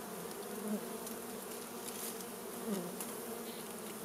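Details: Many honey bees buzzing as their wild hive is smoked out for honey harvesting; a dense, even drone with layered low harmonics and small swells in loudness.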